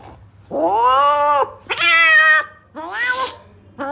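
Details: In Algeria, a cat at the vet that refuses all food utters three loud, harmonic meows, each rising then holding level for under a second, the last ending hoarse and breathy, followed by the start of a fourth.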